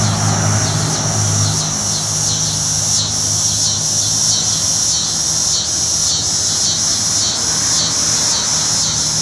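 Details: A cicada in North Carolina, possibly Neotibicen winnemanna, N. robinsonianus or N. auletes, gives a loud, steady, high buzz swelling in regular pulses under a low engine hum.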